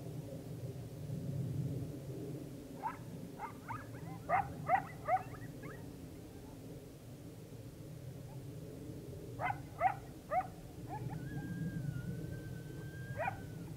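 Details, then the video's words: On October 9, 2022, coyotes greet the rising full moon: clusters of sharp, excited yips come in two bursts with pauses between, the second ending in a long level howl, over steady low-pitched background noise. "full moon rising coyote chorus"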